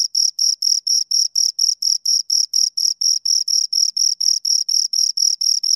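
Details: Steady, rapid cricket chirping from two insects, bright high pulses repeated around four times a second, clean with no background noise.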